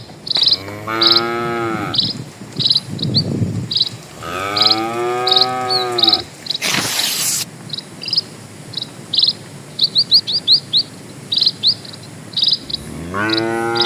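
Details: Dozens of cattle walking slowly along a quiet rural village road, lowing in long harmonic moos that rise then fall, three calls spaced a few seconds apart, over steady pulsed chirping of insects or birds and a brief burst of noise.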